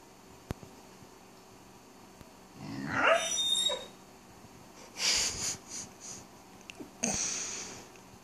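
A Weimaraner puppy yawns with a squeaky, wavering whine, followed by soft breathy huffs.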